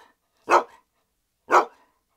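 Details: A young male Alaskan Malamute, the youngest of a pack of three, gives two deep, full barks about a second apart.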